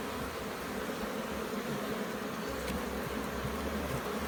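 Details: Bees buzzing loudly at a Jamaican hive opened for inspection. A short, close, dense drone with faint ticking from handling the frames and a low background rumble.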